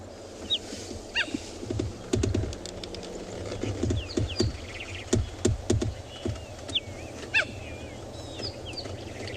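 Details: Cheetah contact calls, the high-pitched chirp or yelp a mother uses to call her cubs and coalition brothers use when separated on a hunt, at a South African game reserve on a morning safari; scattered short rising chirps amid clicks, knocks and low engine hum.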